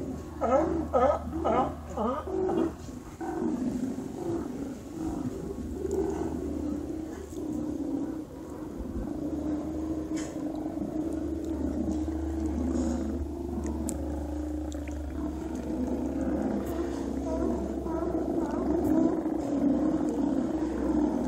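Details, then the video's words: Autumn sea lions at Cowichan Bay, Vancouver Island, drawn by migrating salmon, in a serenade that often lasts all night. Rapid hoarse barks open, fading into a dense overlapping chorus of many animals over a low hum. "Sea Lion Serenade at Cowichan Bay"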